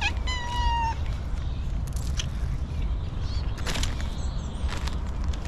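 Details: Hungry homeless female stray cat that has not eaten for a long time gives a single clear, slightly falling meow lasting under a second, followed by scattered clicks and rustling over a steady low rumble of background noise.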